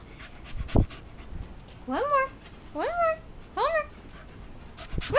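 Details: Homer, a puppy, playing fetch indoors with his favorite tennis ball, gives three eager whines about a second apart. Each whine rises and then slides down, with a clear harmonic, tonal quality. A sharp thump comes just before them in a quiet room.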